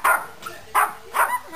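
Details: Female Yorkshire Terrier named Nene, a pet indoors, barking at the household fish tank she has just noticed after two weeks. Three sharp, loud barks about half a second apart, with brief quiet gaps between.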